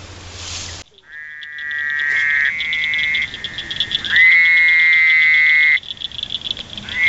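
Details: A male Fowler's toad (Anaxyrus fowleri) with a striped back, found in Indiana, croaking: long, nasal, buzzy waaah calls, each held steady for a couple of seconds.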